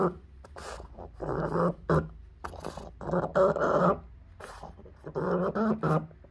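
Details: Pug suffering a recurrent encephalitis seizure, voicing harsh, groaning moans in choppy half-second to one-second bursts. Some sound strangled, and brief pauses break the run of cries.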